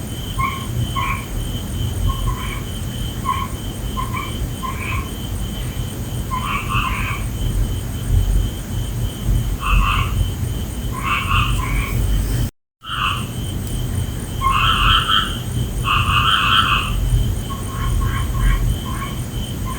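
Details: Night chorus of frogs, with short clipped croaks repeated in irregular runs and louder rasping bursts after a brief dropout, set against a steady low rumble and a thin high tone.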